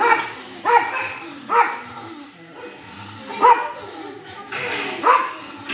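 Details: A pug barking at himself: five short, sharp barks, each with a slightly rising tonal core, spaced unevenly about a second or more apart, with quieter room sound between them.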